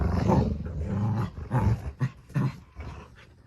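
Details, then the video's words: Two dogs fight tug-of-war over a new toy duck, producing deep, rumbling growls that swell and fade in several pulses, the loudest near the start and middle. "Dog fight"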